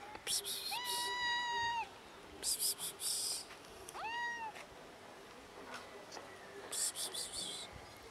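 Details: Two cats calling to their feeder for food; two long clear meows, the second shorter and arched, followed by fainter meow attempts, with rustling and scuffling sounds in between.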